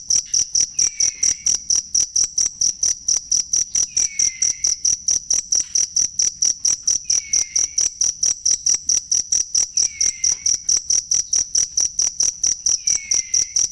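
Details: Cricket chirping, recorded as masteran for training songbirds: steady high-pitched pulses about twice a second, with a faint descending whistle returning roughly every three seconds.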